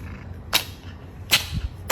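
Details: A pet cat sneezing: three sharp, explosive bursts of broadband noise about 0.8 seconds apart, each a short snap spread from low to very high pitch, with a low steady background hum.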